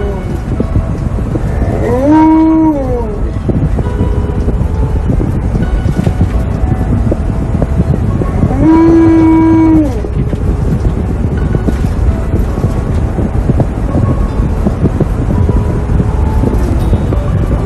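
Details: Tonka, an Alaskan Malamute, loudly protests wearing a seatbelt in a car: two long, low, moaning howls, each rising, holding and falling over about a second, separated by six seconds of engine rumble and background music.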